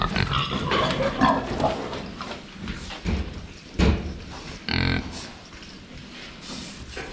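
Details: Domestic pigs at a water trough, seen from the front while drinking, giving short rough grunts and a louder squealing burst near the end, amid splashing and shuffling noises.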